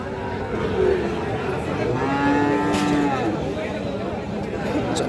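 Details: Friesian bull calves at a cattle market in Aftabganj, Dinajpur, Bangladesh, recorded 12 May 2026; a long low steady moo near the middle, with a shorter call earlier, over constant crowd chatter and market noise.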